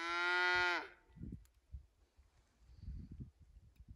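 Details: Scottish Highland cattle cows on a farm in Finland, running through snow toward a forest on 6 January 2021, recorded with an iPhone 11: one loud, harmonic moo under a second long, then low thumping footfalls and rustling in snow.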